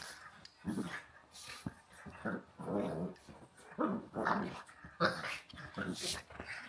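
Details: Walter the pug wrestles in play with Rhett Butler the husky. Throaty growls come in repeated bursts about a second apart, some gravelly and drawn out, others clipped into snarls, over scuffling and panting.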